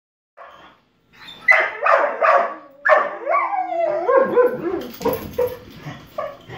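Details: Gordon Setter and Dalmatian crying, upset that their owner is outside; high whines and yelps that start sparse, then run into a fast, uneven string of wavering, sliding whimpers and short bark-like cries.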